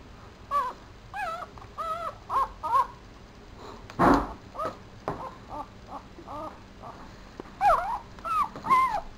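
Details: Four-day-old male Papillon puppy squealing: a string of short, high, arched squeaks, each rising then falling, repeated in quick bursts with brief pauses and one sharp rustle midway.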